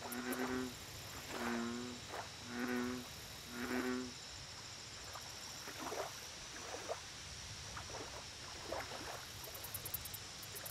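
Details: An American bullfrog at a lake opens with four deep, twanging, droning notes about one second apart, then falls quiet. Fainter pulses, a high insect trill and a low steady hum follow.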